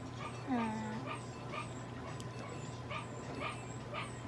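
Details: Papillon dog being treated at a veterinary clinic in Nagoya, Japan (eye drops, nutritional support, medication, light therapy, dental care); one short whine dropping in pitch, over a steady electrical hum and soft repeated background clicks.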